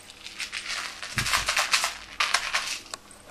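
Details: Bursts of crinkling, crumpling and clicking from kittens at play, with a few soft thumps and no vocal sounds.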